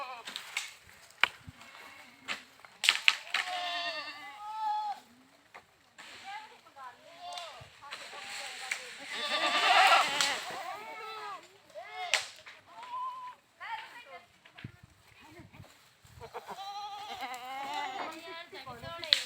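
Goats bleat repeatedly in wavering, nasal cries, some high and drawn out, others short and abrupt.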